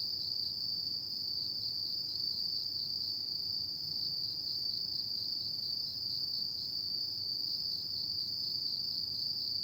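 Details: Autumn insects calling at night: a steady, high, shimmering trill holds without pause, with a fainter upper ringing tone above it and soft low rumble beneath, no other animals or voices.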